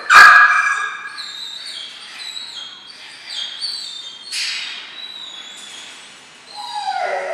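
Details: Two 12-week-old German Shorthaired Pointer puppies undergoing gun-dog training, including backing point; a loud sharp yelp opens, followed by a string of high thin whines, another burst midway and a falling whine at the close.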